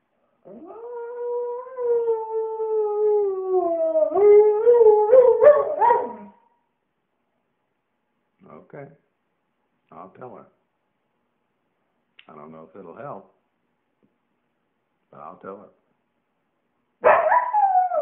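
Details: A Siberian Husky "sings" in reply to its owner's prompts, giving a long, wavering howl that breaks into yips, then short vocal grumbles.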